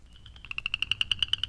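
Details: A New Jersey chorus frog (eastern swamp cricket frog), recorded on May 12 near Centerton, New Jersey, gives a rapid run of about a dozen sharp, high clicks in a second, swelling like a fingernail along a comb. A peeper calls in the background over a faint hum.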